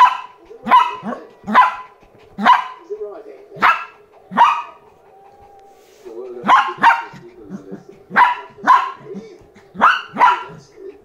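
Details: A Lhasa Apso puppy reacting to a new toy barks in sharp, high, yappy bursts, about one each second, with a brief pause midway.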